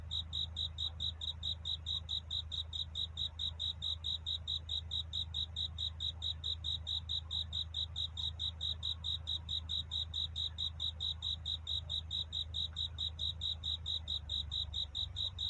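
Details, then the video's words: A cricket sings its love-seeking song at night, steady high chirps recurring at a brisk, regular pace of roughly two per second above a continuous low hum. "귀뚜라미 울음소리. 슬퍼 말아요 우는 것이 아니라 사랑을 찾는 노래랍니다 구애의 밤"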